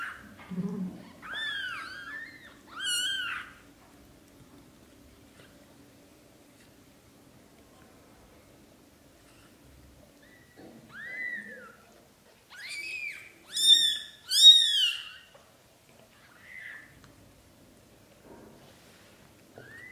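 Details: British Shorthair kittens, black golden and blue golden litter of Leo and Samel, growing up over their first 30 days, give high arched mews in bursts: several at the start, a quiet stretch, then a loud overlapping cluster around the middle-late seconds.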